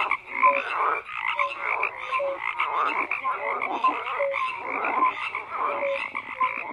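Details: Many frogs croak together in a thick, continuous chorus; brief whistled tones and buzzy rattling calls overlap with no pause throughout.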